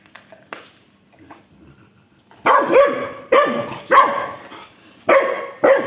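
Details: Dog barking as an aggressive Rottweiler steals the toy of a two-month-old Labrador puppy; about two seconds of faint scuffling, then five loud, harsh barks in quick succession.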